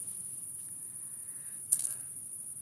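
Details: Crickets chirping outdoors at night, a thin, steady, very high-pitched continuous trill running throughout, with one short sharp click near the end and a faint low background hum.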